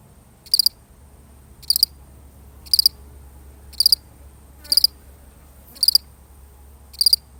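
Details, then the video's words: One lonely cricket's chirp, recorded for real: evenly spaced high chirps, roughly one per second, each made of a few rapid pulses, over a faint low rumble. "The sound of one lonely cricket"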